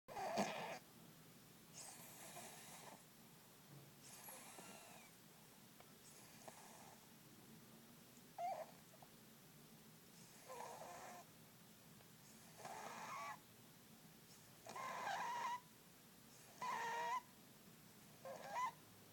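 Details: A fat pet cat snoring loudly while asleep indoors: rough, breathy bursts recur about every two seconds, a few carrying a thin nasal whistle, with quiet gaps between breaths.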